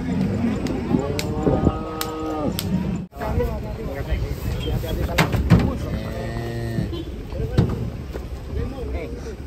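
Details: Cattle being unloaded from a truck, two long low moos with rich harmonics about four seconds apart, amid sharp bangs and clatter, engine rumble and people's voices.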